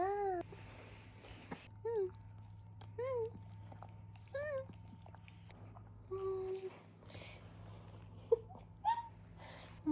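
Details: Jindo dog Poong gives a run of short, high whines, roughly eight in ten seconds, each bending up then down in pitch, spaced about a second or more apart over a steady low hum.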